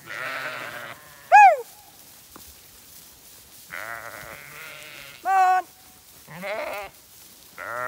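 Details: Zwartbles ewes on a regenerative farm in County Kilkenny, Ireland, called to a feed bucket; harmonic bleats near 0.5, 4 and 6.5 seconds with a higher wavering bleat near 1.4 and 5.3 seconds, a woman's voice between.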